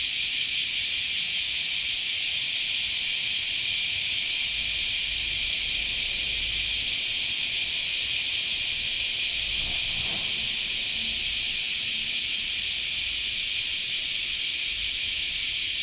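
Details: A dense chorus of Japanese summer cicadas at Chionji Temple, Kyoto, makes a steady, high, shimmering hiss that never lets up.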